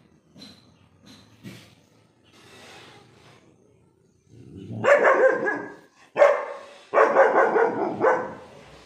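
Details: Lily, a small young German Shepherd, guarding the house and barking at a goat: a few faint early sounds, then loud harsh barks in close bursts during the last four seconds.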